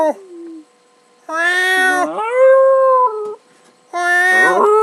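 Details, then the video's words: Pet dog howling indoors while a person meows at it, long drawn-out harmonic wails that rise and hold, overlapping with a second steady meowing voice, in bursts separated by short silences. "Dog howling mad!"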